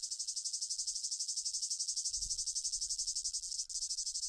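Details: Cicada calling: a loud, high, sizzling buzz made of rapid regular pulses, continuous throughout, with a brief low thump partway through.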